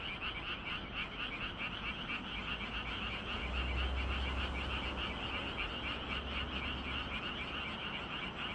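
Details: Frogs calling together on a 25 June evening in Gyeongju, Korea: thick chorus of quick, rattling croaks about four per second, with a low rumble underneath midway through.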